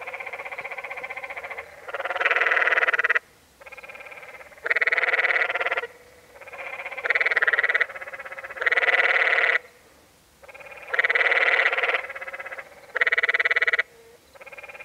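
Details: Canyon tree frogs (Hyla arenicolor) at the Many Pools Trail, Zion National Park, Utah, give harsh, buzzy, bleating rattles about a second long, one after another.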